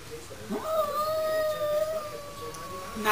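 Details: Domestic cat yowling during a standoff through a glass door, as a neighbourhood bully cat tries to pick a fight with a household cat. One long, steady wail rises sharply, then holds for about two and a half seconds before easing slightly lower.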